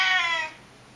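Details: Short, loud meow from an excited pet Siamese cat at home as its owner comes back, a half-second strained cry that drops away into quiet room noise.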